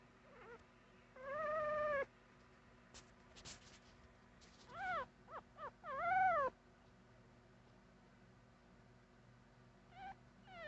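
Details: Puppy making cute noises: high, wavering whines and squeaky yelps in short bursts with rising and falling pitch, several grouped near the middle, in a quiet room.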